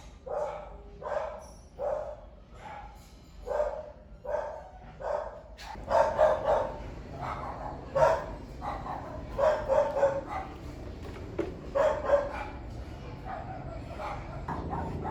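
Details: A dog barking, heard by a curious monkey; a steady run of single barks for six seconds, then louder overlapping barking bursts with a busier background.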